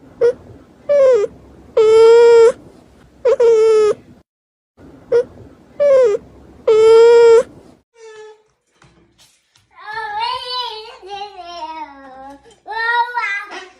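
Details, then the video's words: Cat meowing: four loud, drawn-out mews about half a second each, rising then falling in pitch, followed by softer wavering cries that slide downward. "Funny Cats and Kittens Meowing Compilation"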